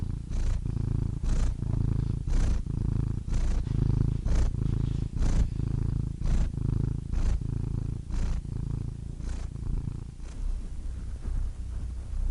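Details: Cat purring continuously in a low, throbbing rumble, pulsing in a regular rhythm of inhaled and exhaled phases about once a second over a quiet background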